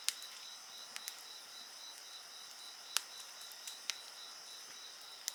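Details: High, steady insect trilling on stacked pitches fills the background as a bonfire snaps and pops loudly at irregular moments, roughly once a second.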